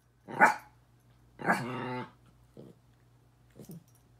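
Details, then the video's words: Miniature Pinscher confronting his mirror reflection: one short bark, then a longer harsh bark trailing into a growl, followed by two soft, low huffing sounds. "Minature Pinscher barking"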